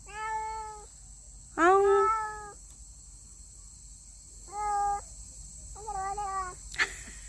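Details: Stray street cat at its old feeding spot, fed by a caretaker, giving four loud drawn-out harmonic meows, the second strongest and slightly rising, with pauses between. A steady high insect-like hiss runs throughout.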